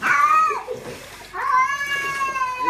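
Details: Domestic cat protesting during a bath, two loud drawn-out harmonic meows, the second long and steady, sliding down at the end, with a person's soothing voice nearby.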